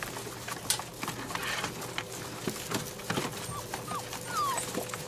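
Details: Five-week-old golden retriever puppies let out thin, high yips and squeaky barks in annoyance.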